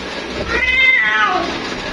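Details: Female cat calling for her mate: a single drawn-out meow, about one second long, rising then falling, with a rich harmonic stack over a steady low background hum.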